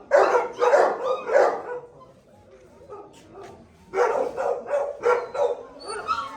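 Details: Barking at a Gultair (Gull Terrier) kennel housing a male and a pregnant female among other noisy dogs: three heavy barks, a quieter pause with faint yelps, then another series of deep, evenly spaced barks.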